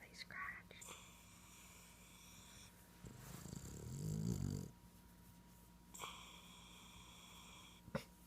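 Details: Elvis, a Boston terrier, stretched out and snuggled in while apparently awake, gives a low rumbling snore that swells for about two seconds midway, with soft whispered human speech and faint high hums around it.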